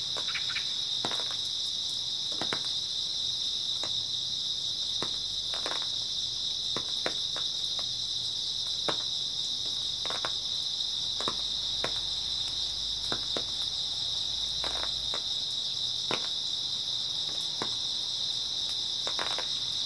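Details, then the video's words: Continuous high trilling of grass insects on an early autumn night, very even and unbroken, punctuated by many short dry crackles scattered throughout, and a soft low hum midway. "초가을 밤부터 새벽까지 백색소음 풀벌레 소리"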